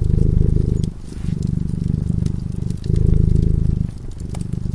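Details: A sleeping cat by a fireplace purrs in a rough, throbbing drone, louder on some breaths and softer on others, with occasional pops from the flickering fire.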